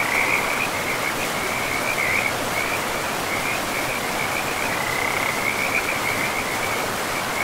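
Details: By a river deep in a pristine forest, frogs call in a continuous chain of high, chirping trills. The calls run almost without pause over the even hiss of moving water.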